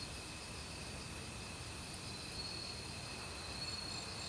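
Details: Autumn forest crickets trill steadily at high pitch, with quick repeated pulses from other insects, all mixed with the soft roar of a nearby stream.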